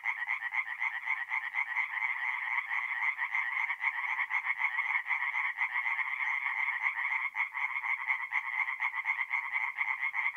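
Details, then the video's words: Tree frogs singing at night at a forest pond in North-East Italy in mid April; a dense, continuous chorus of rapid nasal pulsed croaks blends into one steady buzzing wall of sound, with no other noises. "relaxing forest pond by night with singing tree frogs"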